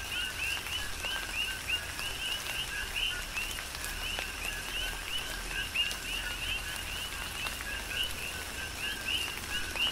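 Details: On the Big Island of Hawaii, coqui frogs call in a rain shower, their paired chirps, a brief low note followed by an upswept higher one, overlapping among several frogs, backed by falling rain and drips.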